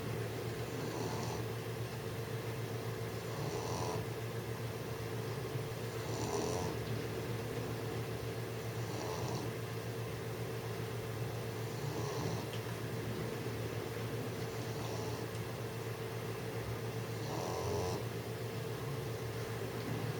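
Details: A 6-month-old English Bulldog trying to sleep snores in slow, rasping breaths that return about every three seconds.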